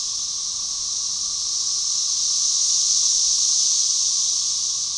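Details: Magicicada tredecassini of Brood XIX at Tyler Bend Park on the Buffalo River, Arkansas, May 30, 2011, synchronize in a dense hissing chorus rising and falling in volume; Magicicada tredecim drones in the background; Cassin's periodical cicada.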